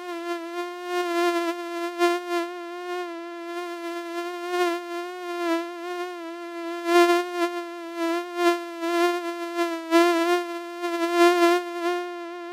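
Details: Flying mosquito giving a continuous nasal buzzing tone, pitch nearly constant with faint wobbles, loudness pulsing up and down as if the insect drifts closer and farther away.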